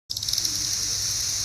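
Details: Periodical cicadas of the 17-year cycle, newly emerged in the trees of the bluegrass region around Lexington, Kentucky, USA, fill the air with a steady, high, shimmering drone.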